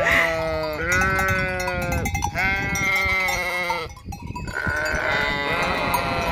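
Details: Bleating sheep herd by the deserted Hotel Fürigen: a run of loud, shaky bleats in quick succession, some higher and thinner, others deeper, overlapping.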